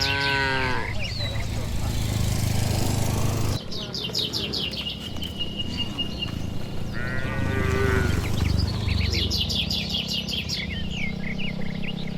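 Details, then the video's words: Dozens of tame, healthy cattle return to the shed on a warm evening along a village road bordered by green trees. A short moo opens, a longer lowing moo follows later, and birds chirp busily in the background. "Suara Sapi Moo"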